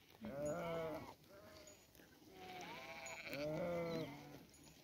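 Sheep bleating in wavering, nasal calls, several overlapping voices one after another.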